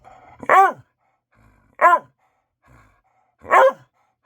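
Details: Pet dog barking at bedtime for attention in a small room; three strong harmonic barks spaced over about three seconds, with faint quiet sounds between them.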